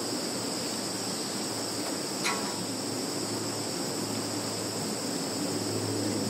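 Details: Steady insect chorus in a field in Kaluga region, Russia, on 11 September 2019, phone-recorded: continuous high shrill trilling on two pitches, one faint click at about two seconds, diffuse hiss throughout.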